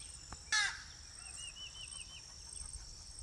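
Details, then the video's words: Insects buzz steadily at a high, unbroken pitch; a harsh bird call cuts in briefly, then a short wavering warble, in wildlife habitat with ibis perched in tree branches. "bugs birds chirp sounds"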